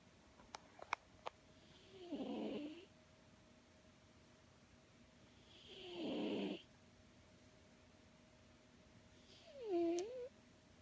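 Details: Tortoiseshell cat snoring loudly in deep REM sleep: two raspy, breathy snores about four seconds apart, then a short squeaky whistled one, with a few faint clicks early on.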